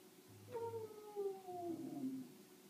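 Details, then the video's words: Fire alarm sets off Astrid the Samoyed: a single drawn-out howl starting high and sliding steadily downward over about two seconds, tonal with bright harmonics, indoors. "Samoyed Howling to Fire Alarm"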